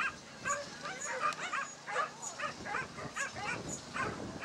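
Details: A male Basenji running a lure coursing course at a Dogs NSW event on 27 September 2015 gives quick, high-pitched yips and yelps in an uneven run, with faint voices behind.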